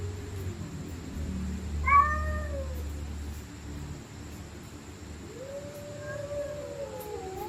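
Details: Stray cats fighting at night: a low growl, then a sharp upward-bending scream around two seconds, a pause, and a second long wailing yowl sliding downward, over a low constant hum.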